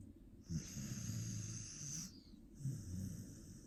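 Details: Australian Shepherd asleep and snoring, twitching in its sleep; one long rumbling, wheezy inhaled snore lasting over a second, followed by the start of another low snore.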